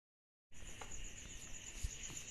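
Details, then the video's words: Cicadas calling on a summer night: after half a second of silence, a steady, shrill high-pitched buzz starts and holds without a break, layered over a fainter, lower continuous hum. "Summer Night Cicadas Sound Effect"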